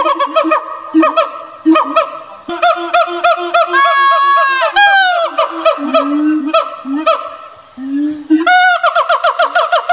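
Siamangs call in quick, honking barks, repeated in a steady rhythm. Between them come drawn-out whoops that slide up and down in pitch, all loud and ringing.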